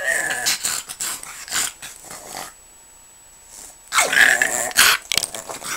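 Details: Pug named Jack, as if asking to be left alone, lets out raspy growling grumbles, goes quiet for about a second and a half, then resumes with louder, whinier grumbling.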